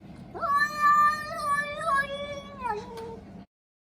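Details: Munchkin cat meowing at an American Shorthair housemate in an odd, talk-like voice: one drawn-out, wavering meow of about three seconds. It starts with a quick rise, holds with slight wobbles, then dips at the end. A quiet indoor hum sits underneath.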